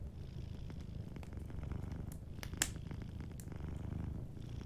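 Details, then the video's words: Close, even rumbling purr from a sleeping cat, dense and pulsing, with a few sharp fire crackles, one louder pop near the middle. "Warm Fireplace Ambience with a Sleeping Cat 🐱💤Fireplace & Soft Purring"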